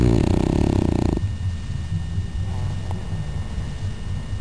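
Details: Cooper, a pet dog, asleep in his favourite sleeping position and snoring: a loud buzzy, rattling breath first, then soft low rumbling snores rising and falling in a slow rhythm.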